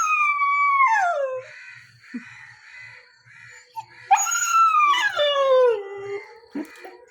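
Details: Pet puppy Chikku, aged nine months, in India, whines after missing a scooter ride with his father; two long descending cries separated by quiet rhythmic tapping and music, the second cry breaking into wavering pitch.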